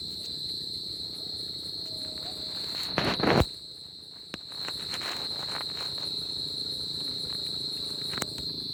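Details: Crickets on a tropical summer night, a steady high-pitched continuous trill with a faint pulsing overtone above it, interrupted near the third second by a short loud rustling burst and a brief dip before the chorus resumes.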